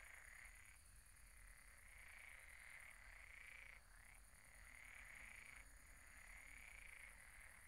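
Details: Croaking frogs in chorus at a pond at night, rapid pulsing trills in bursts of about one to two seconds separated by brief breaks, with a constant thin high hum behind.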